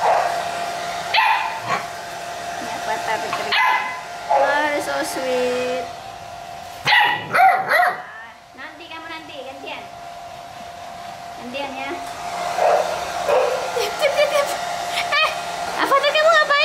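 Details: Pit Bull puppies at play give scattered short yips and barks, mixed with a person talking and laughing over the steady hum of a hair dryer.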